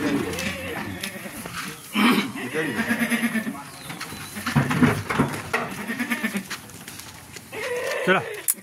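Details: Male goats offered for buying and selling at a Ratnagiri market ahead of Bakri Eid; several wavering, nasal bleats rise through the clip over constant crowd chatter and men talking nearby.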